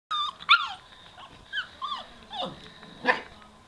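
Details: Young Hokkaido dog facing a vacuum cleaner indoors, giving high, squealing whines and yelps that bend up and down, in short bursts with brief pauses between them.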